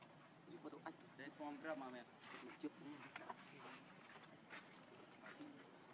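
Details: Hungry baby monkey Leo begging its mother for milk with short wavering, quavering cries clustered early on, then softer scattered calls amid rustling and a constant high whine.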